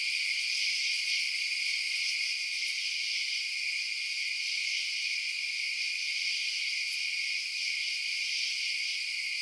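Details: A steady high trilling chorus of crickets at night, rapid pulsing chirps layered into a shimmering drone, with a couple of faint sharp clicks.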